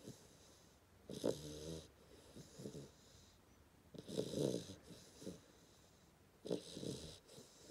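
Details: A 10-week-old Hungarian Vizsla puppy snores in rough, rattling bursts, each breath drawn in with a wheezy rasp.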